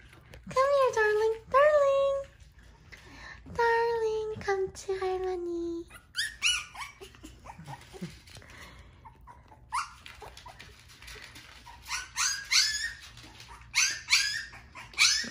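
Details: Howl, a newborn black Shiba Inu puppy, first-born boy of Wooju, whimpers indoors: a run of thin, tonal squeals that rise and then droop, followed by shorter, higher yelps and breathy squeaks, with people talking nearby.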